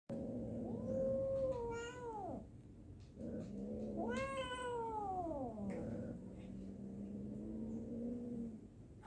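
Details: Domestic cat during a fight gives long drawn-out yowls that rise and then slide down. Two main wailing phrases are separated by a short gap, with a steady lower moaning tone continuing underneath.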